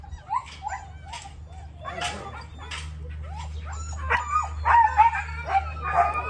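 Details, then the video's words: Husky giving a big vocal outburst: short rising yips and whines, building into louder, wavering howling cries toward the end, over a low background hum. "Husky big time blow out"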